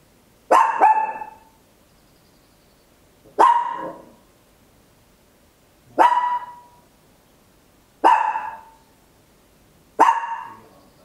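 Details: ['Tiny Papillon dog barking very loud indoors at home, captured in stereo with an Olympus LS-11; five sharp, ringing barks, the first doubled, spaced about two to three seconds apart with silence between.']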